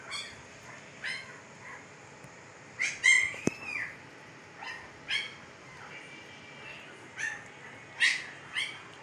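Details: Fifteen-day-old Siberian Husky puppies in Pakistan, eyes just opened, give short high squeaks spaced a second or more apart, some with a brief falling tail, over a faint steady hiss.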